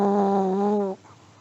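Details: Sleeping elderly Pomeranian gives a steady, humming, whistled snore lasting about a second, level in pitch before cutting off into a quiet room.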